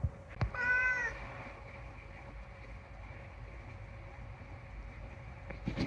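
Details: A single bright, slightly wavering meow from Unagi-kun, a chatty rescued house cat, followed by near-silence with a couple of soft clicks.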